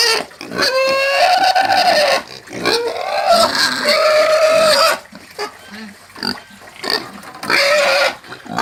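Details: Farm pig (porco caipira) screaming: drawn-out, steady, high-pitched squeals of one to two seconds each, then a quieter stretch of short grunting squeaks before a final piercing squeal.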